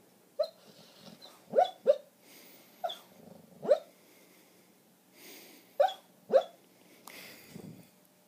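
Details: Arya, a border collie, dreaming badly while asleep at home: repeated muffled woofs and clipped yelps, often in pairs, separated by soft puffing breaths and low grumbles, roughly eight bark bursts in a still indoor room.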